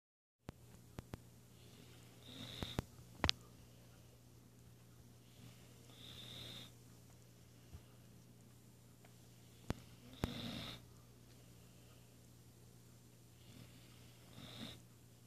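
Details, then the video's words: A female Weimaraner snores during a nap after a morning workout, in slow, regular breaths, each a soft rasp with a thin whistle. "Weimaraner snoring during a nap"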